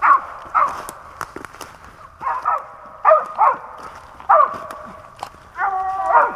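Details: Dog on a 2021 Pennsylvania squirrel hunt letting out paired barks and a final drawn, tonal bay, spaced irregularly over several seconds, with sharp clicks and knocks in between.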